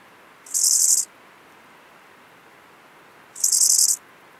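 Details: Eisentraut's bow-winged grasshopper (Chorthippus eisentrauti) gives two short, dry, high-pitched buzzing phrases a few seconds apart, recorded in Muhrtal, Austria, on 9 October 2020.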